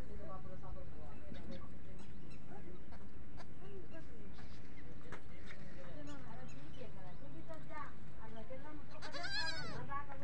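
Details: Young goats on a goat farm calling for their mother, who answers; scattered wavering bleats over a steady low machine hum and talk, ending in a loud, harmonic-rich bleat.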